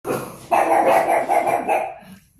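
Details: Pet pug indoors giving a sustained, harmonic bark-like vocalization lasting about a second and a half, with a softer lead-in before it and a quieter tail, in a small room.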